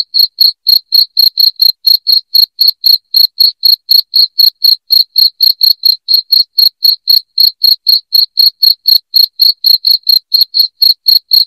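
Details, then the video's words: Piercing cricket song used as a rat deterrent at home, a continuous train of high, clicky chirps repeating about four times each second with no other sounds. "SUARA JANGKRIK NYARING"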